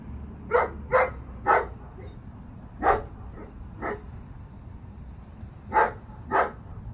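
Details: A ten-month-old German Shepherd named Oakley during recall and sit obedience work gives a run of eight short, loud barks in uneven clusters, with a low rumbling background throughout.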